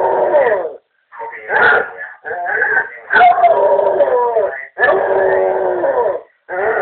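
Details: Basset Hound howling indoors in response to a voice on the answering machine; broken, uneven howls and yelping cries mixed with a few short catches, then two longer sustained wails.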